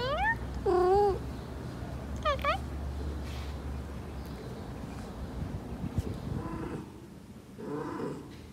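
A Persian cat in heat gives drawn-out, wavering meows that rise and fall, over a low background hum.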